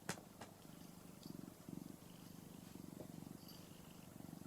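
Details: Ginger tabby house cat purring while lying on its owner's belly and being stroked indoors; a steady low rumbling purr in rhythmic pulsed bursts throughout, with a faint click at the start.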